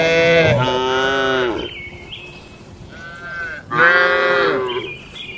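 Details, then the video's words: Two strong, bellowing moos from cattle kept in a traditional shed at night, separated by a quieter, softer moo and faint higher calls. "Suara Malam di Kandang Sapi Lembu"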